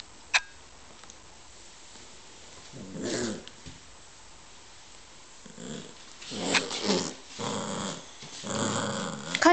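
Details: Kaiser, a two-month-old beagle puppy, plays with his soccer ball indoors on 28 January 2006, growling in rough, noisy bursts around three seconds in, again at six to seven seconds, and near the end, with a sharp knock early on.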